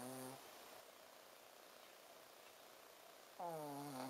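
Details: A Shih Tzu named Ponzu sleeps and snores. A short buzzy snort opens the clip, near-silence follows, and a second snort comes at the end.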